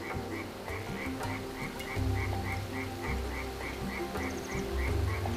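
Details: Frogs, just woken from hibernation in spring, croak in short, evenly spaced notes about two per second over a steady low rumble, at Ansim urban wetland, Daegu, South Korea.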